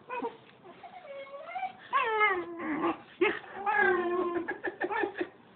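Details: Puppies Maya and Max play-fighting; a run of wavering, crying whines and squeals that rise and fall, broken by short yips, with low grumbling beneath.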